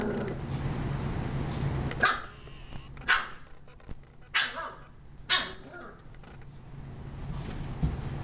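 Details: Shiba Inu barking indoors: four sharp, broadband barks spaced about a second apart, followed by quieter rustling and low steady background hum.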